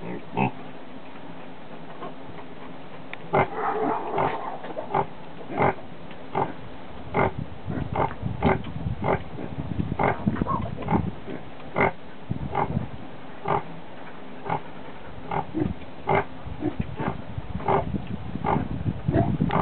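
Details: Grunting from a Guinea Hog sow during the birth of her second litter of piglets, July 11, 2012: dense runs of short, low, gruff grunts, quickening in places to several per second.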